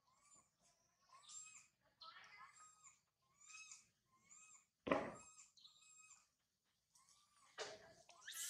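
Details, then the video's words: Baby monkey Sario crying loudly high in a tree after her mother Sarah left her: a string of short, rising, harmonic wails about every half second, broken by two sharp knocks, with a quiet low rumble underneath. "Sario crying loudly a lot on the high tree after mother Sarah leave her"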